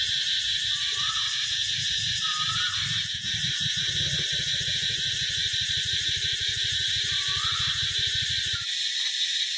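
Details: Cicadas singing in summer. A loud, steady buzzing drone fills the high register without a break, and soft low rumbling pulses run beneath it for most of the clip.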